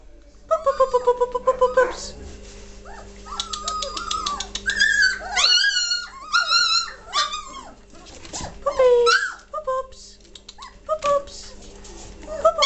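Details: Three-week-old German Shorthaired Pointer puppies from the 2014 Katelands litter, lively and vocal: quick yips, then long bending whines and squeals from several pups overlapping, with a faint steady background hum and a little human speech.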